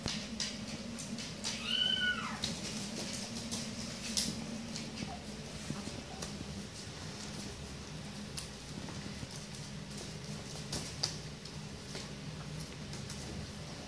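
A Maine Coon kitten gives one high, thin mew that rises and falls, over a low indoor hum.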